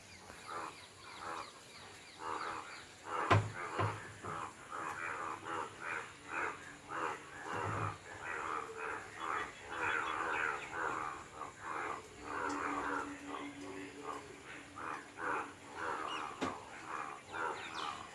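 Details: Dense chorus of frogs croaking after rain, many overlapping pulsed calls repeated steadily to attract mates; frog.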